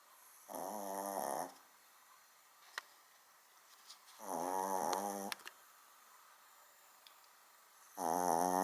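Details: Small dog snoring loudly, as loud as a big dog, indoors: a rasping, buzzy snore lasting about a second, repeated every three to four seconds with quiet breathing pauses between. Faint clicks in the background.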